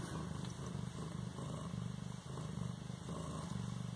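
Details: An 18-day-old Siamese kitten in Bas-Saint-Laurent purrs steadily, a low rumbling thrum that swells and eases with each breath.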